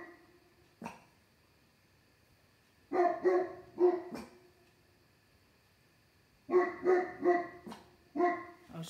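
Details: Pet dogs Pandora and Maximus barking late on a summer night, Pandora at something on the deck, Maximus joining from indoors; bursts of loud, rapid barks separated by quiet gaps, a few sharp clicks between.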